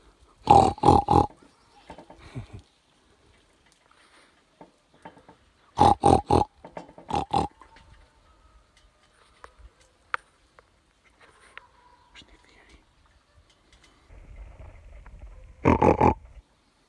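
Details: Wild boar met suddenly in mountain-foot meadows near Pobergje village, Deçan, on 26 July 2021 at 4:54 in the morning; loud harsh broadband grunts in short clusters of three or four, separated by long quiet gaps, with a final burst near the end.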